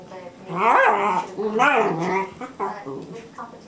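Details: Two 12-week-old Treeing Walker Coonhound pups, Loko and Clara, at a foster home, jostling over bones; two loud harmonic, wavering yelping barks near the start, then fainter rough growly bursts.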